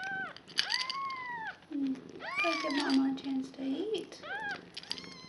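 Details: A day-old kitten in Nala's foster litter of five lets out long, high, bowed mews at the start and end, while a low human voice talks through the middle.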